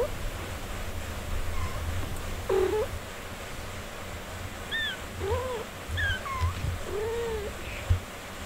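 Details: Mother cat tending her four-day-old kittens indoors; a series of short arched mews, about six in eight seconds, each briefly rising then falling, over a steady low rumbling background.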